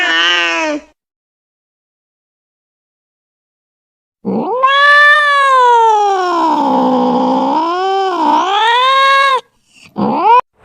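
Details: Domestic cat, its voice said to scare away rats, giving a short meow, then after a pause a long drawn-out wailing caterwaul of about five seconds that swoops down and up in pitch, ending with brief sharp meows.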